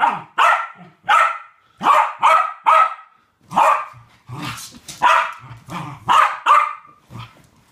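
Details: Two West Highland White Terriers at play in a game together bark excitedly, a rapid run of sharp, high yaps about two per second, some in quick doubles, with brief low growls between bursts.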